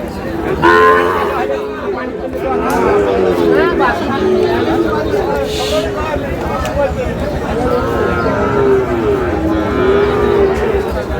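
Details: Sahiwal bull calves at a busy livestock market in Satkhira, Bangladesh, on 10 May, while buyers bargain: several drawn-out, harmonic moos of varying pitch rise and fall over steady crowd chatter and nearby voices.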